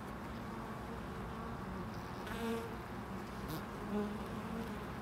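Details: Bees at a loading dock give a low buzzing drone, briefly louder as one passes near two and a half and four seconds, over a steady background rumble with a brief hiss.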